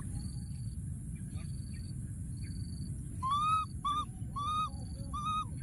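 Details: Baby monkey hiding among thorny branches in the wild, crying for his friend. After a quiet start with a faint steady high hum, a run of four or five loud arched wavering cries comes in close succession over a low background rumble.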